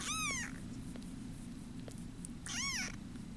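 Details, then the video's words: Bottle-fed foster kittens, about ten days old at arrival, indoors: two high, arching meows with rich overtones, one at the start and one near the end, over a steady low purring rumble. "Tiny Purring Kittens"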